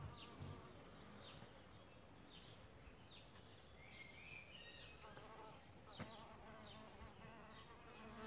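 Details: Solitary bees nesting in a bug hotel give a steady, droning buzz layered in even tones, while birds chirp and twitter in quick bursts high above it throughout.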